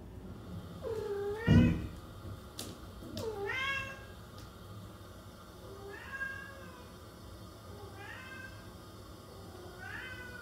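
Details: Domestic cat meowing: five drawn-out meows, the first two loud and arching up then down, followed by three shorter, softer ones spaced about two seconds apart, over a faint steady hum with a few clicks.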